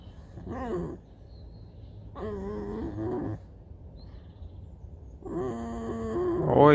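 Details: Pet fox Alice lazing about and complaining before being fed: three wavering, nasal whine bursts about two seconds apart, the last one rising shrilly, with a man talking and soft music in between.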